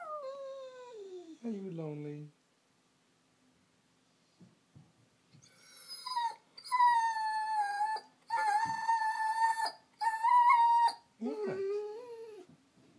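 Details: Lonely female Vizsla whining for attention indoors while her owner asks if she is lonely: falling whimpers, a pause with soft rustling, then a run of long, strained, howl-like cries with a few short breaks.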